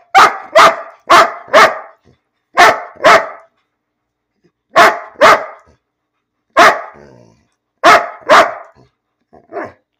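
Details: Bean, a pet dog, barking for no reason at home: sharp, loud barks in quick doubles and triples, about two a second with short pauses between groups, before the owner tells the dog to lie down.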